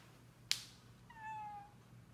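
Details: ['Cat indoors: a sharp click, then a single soft, thin meow that falls slightly and fades over about half a second, in a quiet room.']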